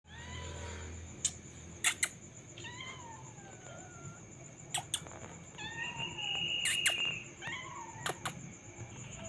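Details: Domestic cat indoors gives a series of short, wavering meows at intervals, mixed with sharp clicks and clatter and a steady high background tone.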